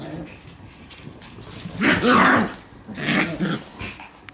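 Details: Shiba Inu puppy romping wildly around a room indoors: two rough, growly bark bursts, a longer one near the two-second mark and a shorter one about a second later, over low indoor rumble and scuffling.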